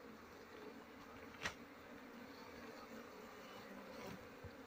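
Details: Honey bees during the honey harvest season, when durian and other trees are in bloom; a steady low droning hum runs throughout, with a brief sharp knock near the middle and faint background noise.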